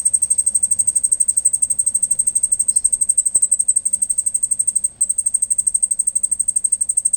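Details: Night-time cricket noise: a continuous high-pitched pulsing chirp, roughly three beats a second, with a brief dropout near the five-second mark and a single soft click earlier.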